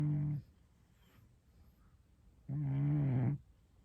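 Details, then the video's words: A Scottish Straight cat snoring indoors: two low, rumbling, droning snores, one short and one lasting nearly a second, separated by a quiet pause of about two seconds. "고양이 코골이"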